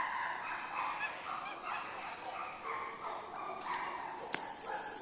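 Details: Chimpanzees at Tama Zoo, Japan, going back into their sleeping quarters, giving a run of repeated hoarse, wavering cries with strong overtones, about six bursts over five seconds, ending with a sharp click or bang.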